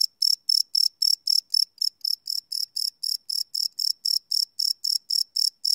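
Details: Crickets chirping at night, captured live with a Sony PCM D100 recorder; bright, evenly spaced high chirps repeating roughly four times a second against otherwise silent surroundings.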